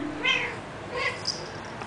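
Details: A cat talking indoors, giving two short harmonic meows, the second rising high and thin, while a person answers with questioning words.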